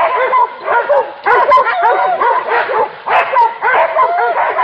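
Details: Hunting dogs on a wild boar chase bay together, overlapping yelps curving up and down in near-continuous waves, several animals calling at once.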